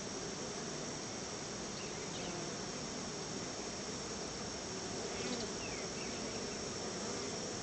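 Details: Crowd of honey bees around their hive while being fed a little store-bought honey as a treat; a constant broad, hissing hum of many wings continues throughout, with faint brief chirps over it.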